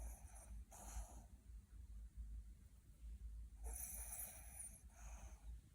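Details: Puppy in deep sleep and dreaming, also grinding teeth and twitching; two soft breathy snore bursts about three seconds apart over a low steady hum in a quiet room.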